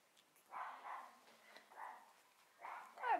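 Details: Cavalier King Charles Spaniel puppies from a litter born 29 June 2015: short, soft, quiet yelping bursts, four in about three seconds, the last one higher and sliding downward. Background is otherwise quiet.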